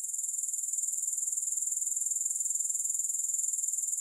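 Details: Grasshoppers, with no music. A continuous thin, high-pitched trill pulses evenly and quickly throughout, with no other sounds.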